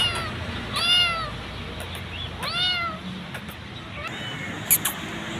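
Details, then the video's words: Hungry street kitten being fed after being called from an electric pool; two clear harmonic meows about two seconds apart, a fainter third later, constant background hum and brief clicks. "I saw the hungry kitten sitting in the electric pool I called her and fed her."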